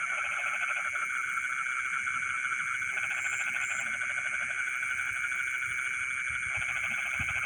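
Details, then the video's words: Night chorus of frogs in rice fields, rapid rattling croak bursts of about two seconds each, repeating through a constant shrill insect hum with a couple of brief high double chirps. "the sound of frogs singing in the rice fields in the middle of the night"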